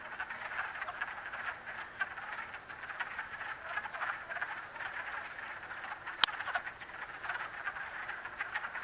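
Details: A dense chorus of wood frogs (Lithobates sylvaticus) mating in a vernal pool at Acton, Massachusetts, on 18 March 2010, their hoarse, duck-like clucks overlapping into a steady rattling din.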